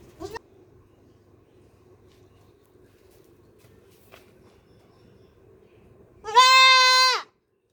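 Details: Black baby goat screaming: after several seconds of low hum and soft clicks, one loud, rich, slightly quavering bleat of about one second arrives near the end.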